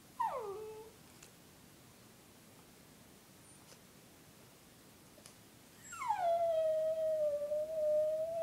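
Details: Female Brussels Griffon dog howling softly indoors: a short falling wail near the start, then after a pause a longer sliding howl that drops and holds a steady, clear tone with rich harmonics.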